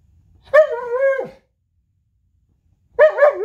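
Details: Purebred, unneutered Alaskan Malamute playing in bed in the morning, giving two drawn-out harmonic howl-cries: the first steady and slightly wavering for about a second before dropping away, the second starting after a two-second silence. Indoor, no other sounds.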